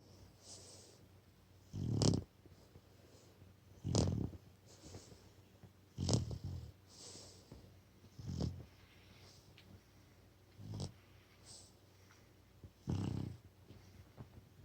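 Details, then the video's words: Brindle Boxer puppy asleep indoors after a long walk and dinner, snoring in deep, low rasping breaths that come roughly every two seconds, with quieter airy exhales between them. "Puppy Snoring After a Long Walk and Dinner"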